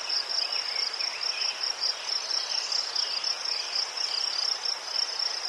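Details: Ukrainian crickets calling among chrysanthemums: steady, shrill, fast-pulsed trill holding one high pitch throughout, with faint fainter chirps and a gentle background hiss beneath.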